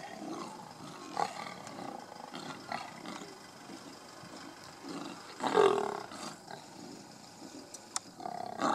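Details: Kruger National Park lions from a large pride squabble over a buffalo carcass. Low, rough growls run throughout, and a sharper snarling burst comes in the middle. The calls are moderately loud against a steady outdoor background.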